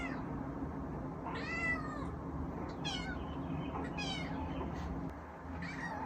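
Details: Male Munchkin kitten Eve, home alone, calls repeatedly: one long arching meow followed by two shorter, sharper mews and a final faint one, harmonics reaching high, with constant low household hum behind.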